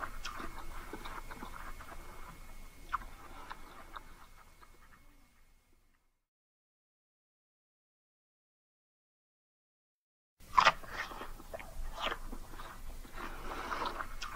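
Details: Indoors, pet Siamese cats chew treats with soft, rapid crunching and clicking bites, then a long silent pause before the crisp crunching starts again.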